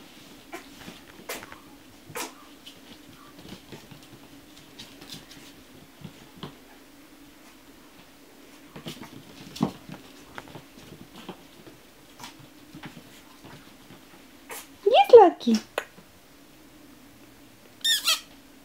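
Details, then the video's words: Chihuahua puppies indoors in a small room, quiet for long stretches with soft scratching and small clicks, then a brief high whimpering squeak that slides downward near the end, followed by a short sharp yelp. "Щенки чихуахуа"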